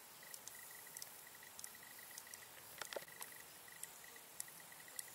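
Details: Stethophyma grossum in the marshes of the Vendée, France: scattered sharp clicks, irregularly spaced about half a second to a second apart. A soft, even train of high insect pulses runs beneath them.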